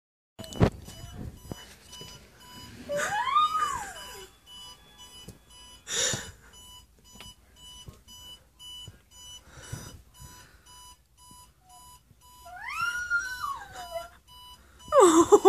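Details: Pet dog howling in response to an alarm clock beeping in a small room; two rising-and-falling wavering howls, each about a second long, over a steady repeated electronic beep, with occasional thumps and clicks.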